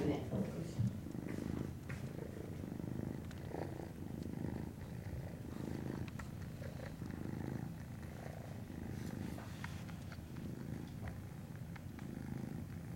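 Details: Norwegian Forest Cat kittens at a cattery, 19 January 2017, giving a continuous low purr that swells and fades, while a person speaks softly in Japanese over it.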